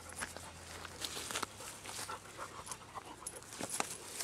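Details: Dobermann puppy Merlin, six months old, playing ball in a home yard once wooded and now being cleared of trees. Soft breathy panting comes in irregular airy bursts under faint outdoor background noise.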